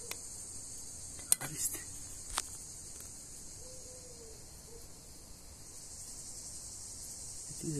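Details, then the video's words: Injured Greek cicada with a crooked leg, called a big, noisy insect. A continuous high-pitched electric buzz runs throughout, with brief clicks and a snippet of a man's voice early, then a faint falling bird whistle. "Crippled Cicada. Greek Fauna ( Τζίτζικας )."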